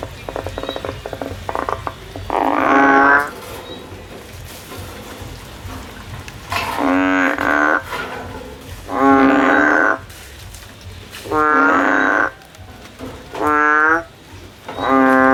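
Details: Frog climbing a tree while looking for a way out, repeating short droning, reedy calls of about one second roughly every two seconds. Faint clicking sounds come before the first call.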